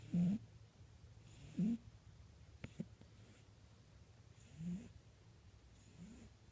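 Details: Mr Jingles, a pet rabbit fond of sleeping, snores: soft low rasping breaths with a faint hiss, three or four in six seconds at uneven spacing, plus a couple of small clicks in a quiet room.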